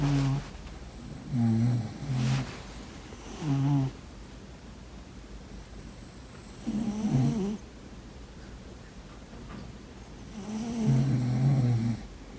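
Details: A sleeping cat snores in short, deep, buzzing bursts, three close together at first, then longer gaps before a wavering rattle and a final drawn-out rumbling snore, with faint breathy hiss between.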